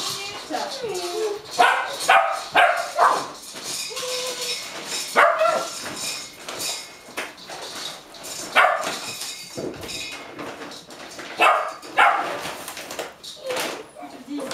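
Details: Several Golden Retriever puppies, 8.5 weeks old, bark with impatience for their food in Haute-Savoie, France, January 2013. Dense, overlapping yaps and yelps come in quick bursts, with human voices and kitchen noise underneath.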